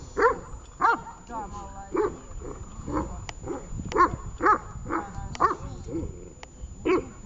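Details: Tash, a dog at a training session in Horlivka on 18 August 2019, gives loud, harsh barks at uneven intervals, sometimes in quick pairs, about seven in all, with human speech murmuring between them.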